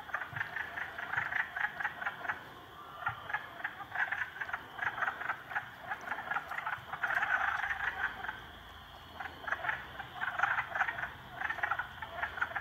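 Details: Frogs, three of them, ganging up on a salamander, give dense rattling croaks in repeated pulsed bursts, near-continuous with short lulls around the middle and end, several callers overlapping against steady low hiss.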